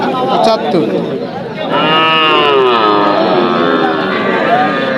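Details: Cattle lowing at a Bangladeshi cattle market in Bogura, a wavering, tonal moo of roughly a second and a half rising out of buyers' chatter, followed by softer lowing and continued talk about prices.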